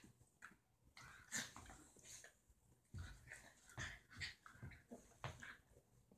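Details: Two pet dogs indoors, Roxie a deer-head chihuahua and Reese a Dorkie, one coaxing the other to play: short high whimpers and yips in scattered bursts, with scuffling and thumps between them.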